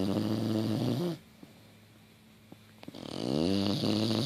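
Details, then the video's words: Fifi, a female English Bulldog, crashed out asleep on a couch with her tongue sticking out, snores loudly: a rough, buzzy, harmonic drone on each breath, then a quiet pause of nearly two seconds before the next long rasping snore swells back. "Fifi the English Bulldog snoring loudly"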